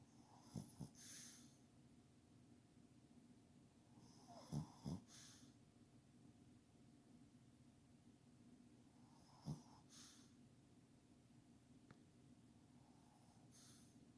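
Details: Pet dog asleep under a kotatsu, snoring heavily: low rumbling breaths with a wheezy, airy hiss on top, each snore cycle returning roughly every four to five seconds, faint steady room hum between breaths.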